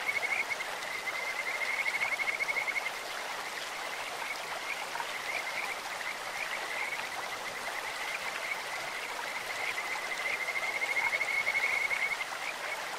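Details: Kajika frogs singing in a clear stream: bursts of rapid, high, whistled trilling that swell, fade in the middle, then return, set against the continuous rush of running water.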